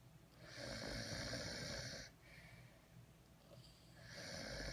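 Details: A napping French Bulldog snores loudly, with long rasping breaths that rattle and hiss.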